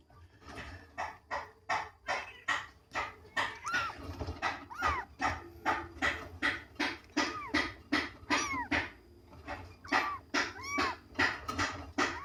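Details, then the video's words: Two young kittens mewing insistently: a steady run of short, high, arching cries, about two each second, some rising then falling, with light clicks and soft room sound between them. "ANAK KUCING MEONG MEONG"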